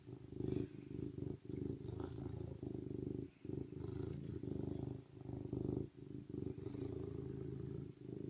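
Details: Serval giving a steady, low rumbling purr that pulses continuously, broken by brief pauses at about 1.4, 3.4 and 5.9 seconds, with faint higher breathy noises above.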